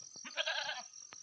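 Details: Domestic goat raised on a farm gives a single nasal, wavering bleat lasting about half a second, rich in stacked overtones, against a steady faint background hiss.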